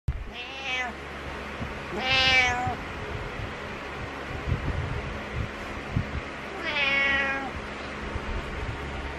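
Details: Butters, a male house cat, giving his morning meows: three drawn-out harmonic meows, two close together near the start and one later, separated by quiet stretches with faint low rumbling in the background.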